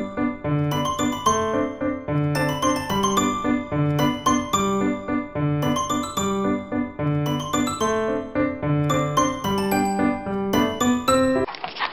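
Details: Upbeat electric piano tune with bell-like, tinkling chords in a repeating pattern, ending in a short burst of noise; no animal voices.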